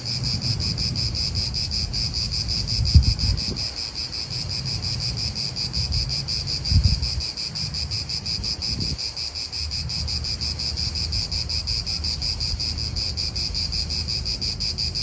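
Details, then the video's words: Cicadas drone steadily with a high rhythmic buzz in an Italian park as wind and passing cars swell and fade in the low background. "italian park ASMR Cicadas wind real atmosphere in an Italian park birds"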